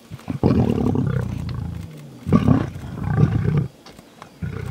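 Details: Lions of the Mhangeni pride on Londolozi Game Reserve during a hunt, heard outdoors: deep rough growling roars in three bursts, each one to one and a half seconds long, with a rumbling low tone between them.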